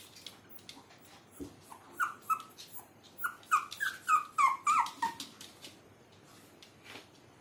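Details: A young Maltese dog whimpers in a quickening burst of high, squeaky yips. The yips start sparse, then crowd into a rapid string of about a dozen falling notes before fading. A soft thump is heard early on.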